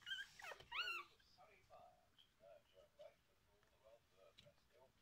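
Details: Four-day-old liver Miniature Schnauzer puppies, a litter of two females and three males with their mother, give thin, squeaky whimpers and short nasal whines in an uneven series.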